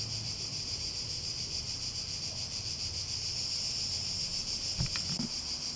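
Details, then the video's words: Cicadas in a steady, shimmering buzz that holds throughout without a pause, with a faint rhythmic pulsing. A low rumble runs underneath, and a few brief knocks are heard near the end. "Relaxing Sounds With Cicadas"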